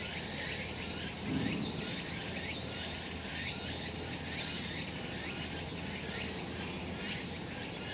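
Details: Cicadas on a summer mountain in the sun produce a thick, continuous high-pitched buzzing chorus with pulsing beats recurring roughly every second, over low outdoor ambient noise.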